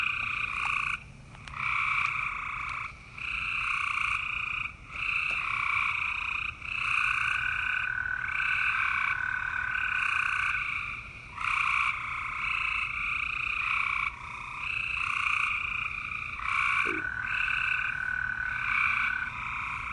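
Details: Green frog croaking in a dense, steady chorus of bright, buzzy, pulsed calls in two high bands. The calls break off briefly every few seconds, then resume at full strength.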